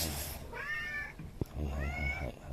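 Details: Two separate meows from an outdoor cat make seven rescue kittens halt. Each is a bright, held harmonic cry about half a second long, the second slightly arching. A sharp tap falls between them, over low room rumble.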